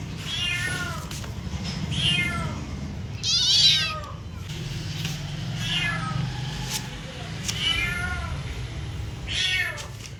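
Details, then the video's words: Domestic cat meowing repeatedly, about seven drawn-out, arched, nasal meows spaced roughly one and a half seconds apart, one louder and harsher near the middle, over a steady low indoor hum. "cat meowing"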